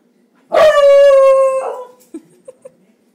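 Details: Dog named Bowser or Roxy, one of two pet dogs playing together, gives a loud sustained harmonic howl-bark lasting over a second, dropping at the end, followed by a couple of short soft yips.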